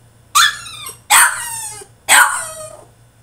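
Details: French Bulldog throwing a tantrum in his cage: three loud, harsh barks about a second apart, each starting high and sliding down into a drawn-out whine, with a faint steady hum behind.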